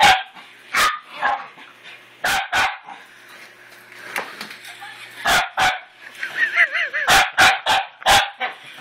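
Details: Scuttle, a male house dog, goes wild at his new toy puppy: scattered harsh barks and yips, with a wavering squeaky tone near the end amid the barking.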